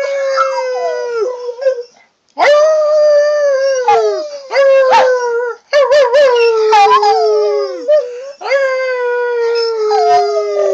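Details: Dog howling in response to a person howling; long drawn-out wavering howls with rich harmonics, some sliding down in pitch, several overlapping voices, separated by brief pauses around two and five seconds.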